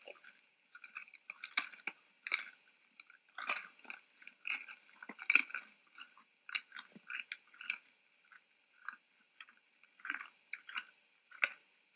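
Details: Dry crunching and rustling, like chewing or hay being trampled, with no animal calls.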